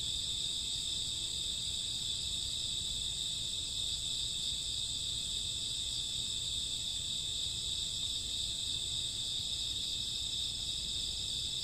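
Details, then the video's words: Summer or autumn midnight with crickets and grass insects chirping together, a thick, continuous high trill in stacked bands, uniform throughout, accompanied by faint low rumble. "Cricket sound 2 hours, summer autumn night grassworm lullaby"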